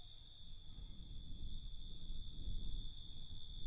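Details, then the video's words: Crickets calling at night in a constant high trill of several steady tones, backed by a swelling low rumble. "Night Cricket Sound"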